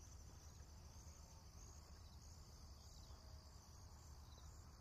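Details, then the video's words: Insects calling on a countryside morning in rural Japan, a steady, unbroken high-pitched shimmer in two thin layers that holds level throughout, over a constant low rumbling background. "田舎の朝 虫の声"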